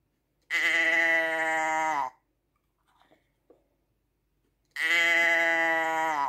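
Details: Sheep bleating: two long, steady, nasal bleats of about a second and a half each, separated by a quiet pause with a few faint crunching sounds.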